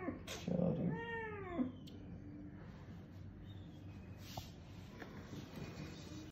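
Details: Kitten receiving a multivitamin injection into the muscle at the vet, giving one drawn-out, wavering meow that rises and falls, followed by handling noises and quiet clinic background.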